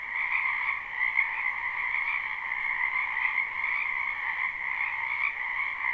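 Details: A spring wetland chorus of frogs, recorded live without looping: countless overlapping croaks merge into a constant buzzing drone in two pitch bands, the upper one louder, with small pulses of swelling volume throughout.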